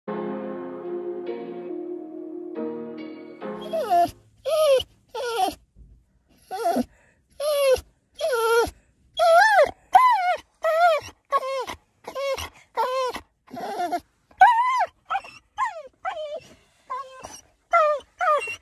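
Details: American Staffordshire Terrier crying in a car, eager for a walk: after a steady humming tonal opening, roughly twenty short whining cries follow in quick succession, each bending up then down in pitch, with brief silences between.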